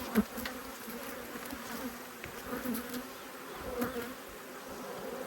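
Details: Honey bees from two hives, cross at being inspected, Australia, 5 March 2022: a steady low hum of many wings with a tone-like band and its overtone, broken by sharp clicks and taps from the hive handling.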